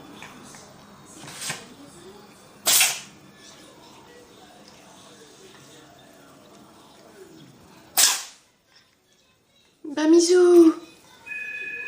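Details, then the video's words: Domestic cat sneezing in a human-like way: sharp, noisy bursts near 1.5, 2.7 and 8 seconds, with a voiced human exclamation near the end and a short electronic two-tone beep closing. "Sneezing cat"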